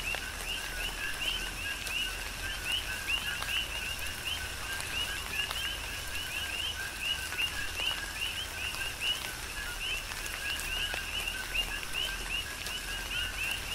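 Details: Coqui frog chorus in a Hawaiian tropical rain shower on the Big Island; steady stream of overlapping rising two-note chirps from many frogs, set against continuous rain and dripping water.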